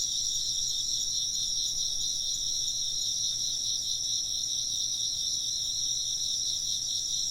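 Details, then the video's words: A short, even stretch of insect chirping: bright, rapidly beating trills overlap in a high register and run on without a break at an unchanging volume. "風鈴の音と虫の声 - wind chimes and chirping insects"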